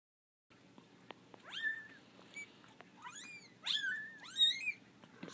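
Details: Litter of 4-week-old kittens, three female and two male, indoors on their first time out of the basket and not liking it; several thin, high, rising-then-falling meows overlap, growing louder toward the end, over a faint room hum.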